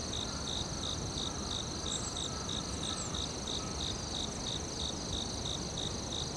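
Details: Forest crickets keep up a regular pulsed chirping, roughly three chirps per second, with a thin continuous high whine above and broad low background noise below.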